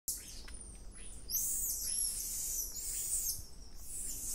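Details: Wild golden lion tamarins in the Atlantic Forest outside Rio de Janeiro, monitored animals recorded in stereo: very high, thin whistles, long drawn-out and overlapping, with a brief sharp upslurred note before them and faint forest hiss beneath.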